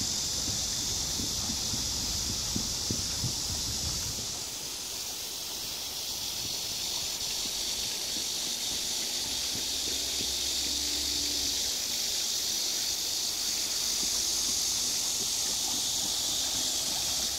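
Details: Cicadas droning at Namsangol Hanok Village in Seoul on 12 August 2024 give a bright, sustained, buzzy hiss. Water-wheel splashing fades after a few seconds, and a faint low hum appears midway.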